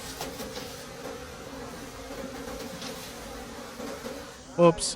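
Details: A soft, even drone of wild bees at a forest nest while late-season honey is taken, the low hum steady and quiet until a short human vocal sound cuts in at the very end.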